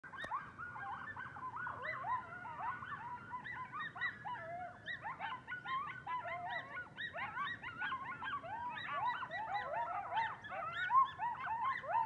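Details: A band of wild coyotes howling at night outside a house; a dense overlapping chorus of wavering, high yips and short quavering howls rising and falling, growing busier and louder toward the end, with a quiet low background hum.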